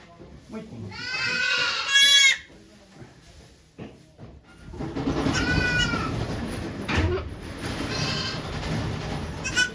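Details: Goat named Okayu at Yoshigake farm on 3 May 2023, giving birth to two kids while many volunteers watch: a loud, wavering, harmonic bleat of about a second, then a second quieter bleat amid murmuring voices and farm background.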